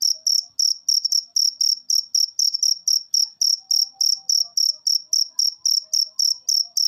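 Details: Repeated shrill cricket pulses, close to four each second, forming a continuous buzzing rhythm meant to encourage caged birds to sing. No other sounds.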